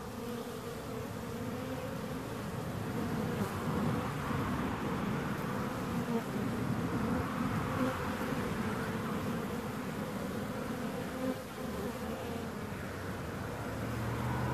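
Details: Bees buzzing steadily as a dense, continuous hum, low droning tones with a band near 250 and 500 in pitch, overlapping wingbeats swelling and fading slightly over fourteen seconds, no other sounds standing out.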